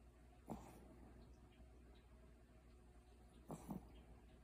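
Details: Bori, a pet dog, asleep and snoring indoors beside a running clothes dryer; two short rasping snorts about three seconds apart, the second one doubled, over a steady low machine hum.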